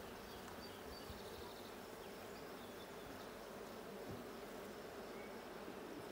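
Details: Bees in a blue hive during a hive check on 6/20/22, a dense, steady low buzzing hum that holds unbroken throughout, with faint higher tones flickering above.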